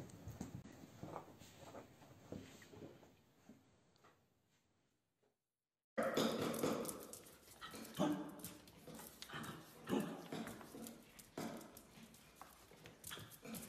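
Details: Playful dachshunds in a compilation of pet clips, giving short broadband barks and yaps in irregular bursts, with a brief silent cut partway through, then louder, denser barking alongside rustling and faint voices.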